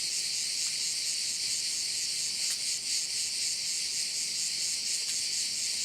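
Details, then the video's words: A loud, unbroken high-pitched cricket chorus from a bay on Korčula, Croatia, faintly pulsing, with a couple of brief clicks and nothing else. "Korčula - view of one of the bays in Korcula with sounds of crickets"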